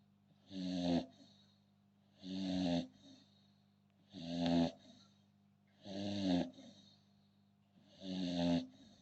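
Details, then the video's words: American Bully dog snoring steadily, five deep rasping breaths each about a second long, spaced roughly every two seconds with quiet pauses between, a low rumbling tone with a nasal buzz. "American Bully snoring"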